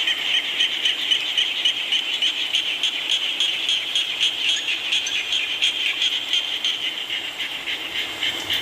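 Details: Frogs calling in rain in Thailand, a dense steady chorus of rapid pulsed notes, roughly four per second, high and trilling, possibly mixed with insects, over constant rain hiss.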